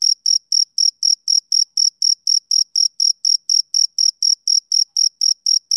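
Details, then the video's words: Male cricket heard on a summer evening: bright, repeated chirp pulses at a steady four per second, clipped and evenly spaced, with a quiet background and a sudden stop at the end. "Cricket Chirping Sound Effect"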